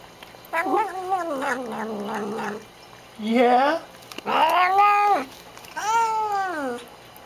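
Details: Thirsty pet cat, a female, making her habitual noises while drinking water in a small room; four separate wavering, rising-and-falling meows, each about one to two seconds long, with brief pauses between them.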